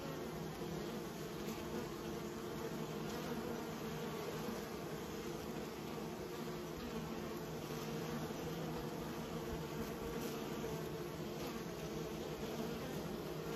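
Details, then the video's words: Bees being raised fill the air with an unbroken buzzing hum, even and dense, with occasional faint brighter flickers above the drone. "Raising bees"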